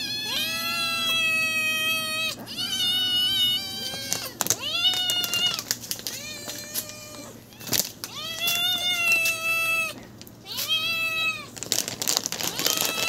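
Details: Pack of hungry stray cats calling insistently: a series of long, wavering harmonic meows, some rising at the start and sliding down at the end, repeated several times with brief clicks and rustles in the pauses.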